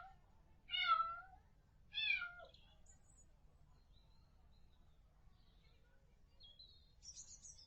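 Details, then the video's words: Kitten mewing: two clear mews about one second apart, each a high harmonic cry that falls in pitch. Faint high chirps and quiet room noise follow. "Cat sound"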